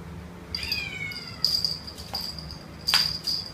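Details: Two-month-old male Domestic Short Hair kitten up for adoption in KL gives one clear, high, drawn-out meow that slides downward, over a constant thin electronic-sounding whine and a few sharp taps.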